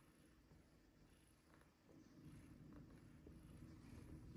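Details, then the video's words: Cat purring during play: a continuous low, throbbing rumble that grows louder after about two seconds and holds steady to the end, with a few faint soft clicks and rustles above it. "Playing & Purring"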